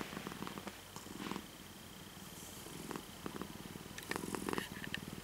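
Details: A calm, obedient house cat purrs in low pulsing bursts that swell and fade, with small taps, rustles and a thin constant tone in the background.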